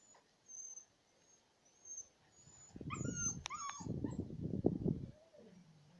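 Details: Husky puppies at play with their mother outdoors in a yard; a few sharp high yelps and a rising whine over loud scuffling and rustling bursts.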